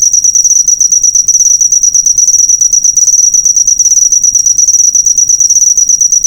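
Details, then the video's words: Cricket sound meant as a training recording for cage birds: an unbroken, very high, fast-pulsing trill, steady in pitch and loudness throughout. "Masteran burung suara jangkrik mewah yg paling di cari"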